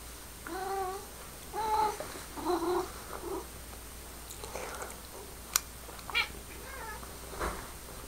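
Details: Pepper, a pet cat indoors, talking at a laser pointer beam: a run of short harmonic meows and chirps, several rising then falling, clustered in the first few seconds, then quieter trills and clicks in a small room.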